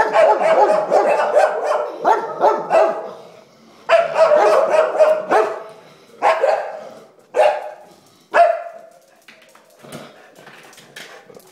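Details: Three English Springer Spaniels bark in rapid, loud bursts with pauses between volleys, alarmed at a sponge on a table that one took for something very bad.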